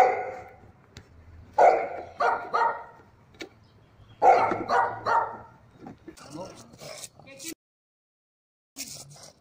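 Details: Dogs from a compilation of various breeds barking in spaced bursts of two or three barks, followed by rustling, mixed noises and a short silent gap.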